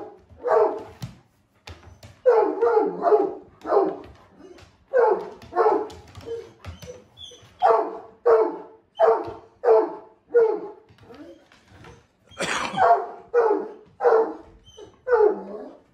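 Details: Blanche the Great Pyrenees, normally calm and seldom playful, pesters his owner to play with a long run of about seventeen deep, resonant barks in uneven bursts, with short pauses between groups and one sharper, louder bark near the end.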